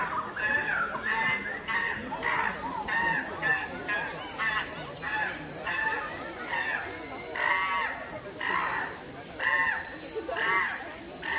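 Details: Chimpanzees fighting at the Los Angeles Zoo: harsh, harmonic screams rise and fall in bursts about once a second, overlapping one another over a steady bed of background noise.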